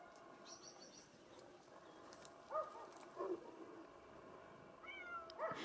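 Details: Bengal cat from a breeding cattery on Mallorca, Spain, giving short meows with rising-falling tone, three soft calls spread across the recording over a steady background hum.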